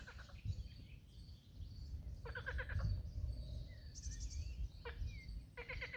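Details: In the early morning, at a pond completely covered in green reached during a hike, frogs give short pulsed, rasping croaks in bursts over a low rumble of wind or water.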